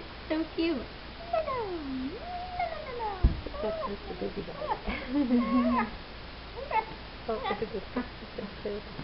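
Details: Four-week-old Wheaten Terrier puppies whining indoors: a run of high, tonal squeals that bend up and down, overlapping one another, with short yelps and a soft thump midway.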